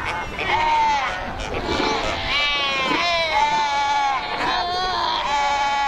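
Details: Cape fur seals massed at Cape Cross on the Skeleton Coast, a colony of over 100,000 by the ocean and rocks; dense overlapping bleating, wavering harmonic calls from many animals sound continuously, rising and falling in pitch.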